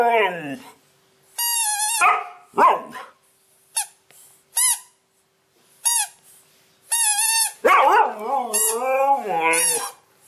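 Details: Domestic Siberian Husky making funny vocal sounds: whiny yelps, quick squeaky yips and drawn-out wavering howl-like moans in irregular bursts, with a brief lower voice-like sound near the end.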